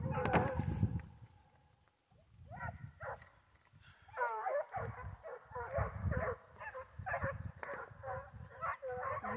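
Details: Foxhound pack on a wild boar hunt: after a short burst of noise and a quiet gap, overlapping hounds break into wavering, yodelling howls and bays that continue to the end, with low rumble beneath.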